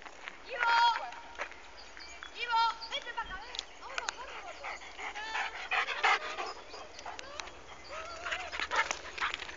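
A Podenco gives sharp yips, high whines and short barks while playing with other dogs.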